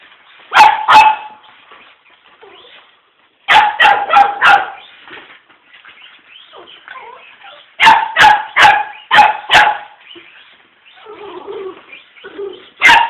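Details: Miniature poodle barking at a remote-control car: sharp, loud barks in quick bursts of two to four, separated by short quiet gaps, with faint shuffling and small whines between bursts.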